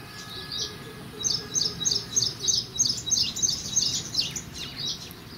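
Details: A feeding Indian palm squirrel at a pomegranate chirps in a steady run of thin, high, clipped notes, roughly three each second, over soft low background noise.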